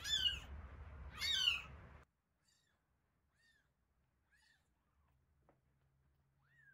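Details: Hungry one-week-old kittens Terra and Towa at feeding: two loud, strained high mews in quick succession, then near silence broken by faint thin squeaks and a soft click.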